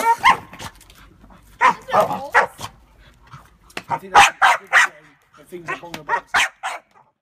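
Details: Staffy cross Rottweiler bitch angrily barking at a suitcase inside a house, set off by its handle sliding up and down: loud, rough barks in clusters of two to four, pausing briefly between groups, amid a woman's laughing commentary.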